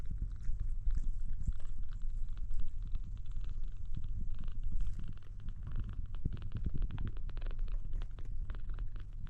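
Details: Kitten trying to drink milk, purring in a steady low rumble that runs unbroken through the whole stretch, with soft clicks and slurping noises from the milk on top.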